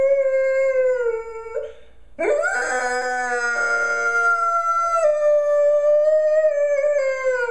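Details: Golden retriever howling persistently at home: a long steady tonal howl that sags slightly, a short break, then a second howl rising sharply and holding a level, slightly wavering pitch for several seconds.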